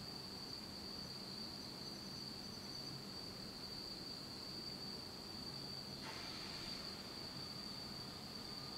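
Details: Autumn insects calling in pitch darkness in Japan: a continuous high, thin ringing trill without pause, a low background murmur, and a brief sharp rustling burst near the six-second mark.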